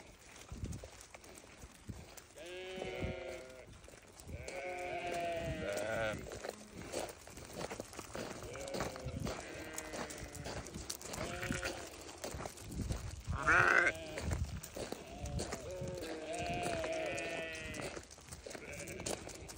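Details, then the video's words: Newborn lambs calling repeatedly, wavering harmonic bleats spaced every couple of seconds, overlapping at times, with a sharp squeak midway and continuous low background noise. "Newborn baby sheep so beautiful"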